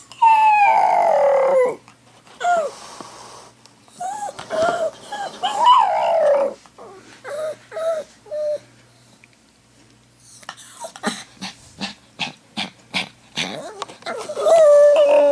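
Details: Pet dog left behind while the owner's sister is away howls and whines indoors: drawn-out wavering howls sliding downward, short whimpers between, then a run of quick clicking taps before a final long howl.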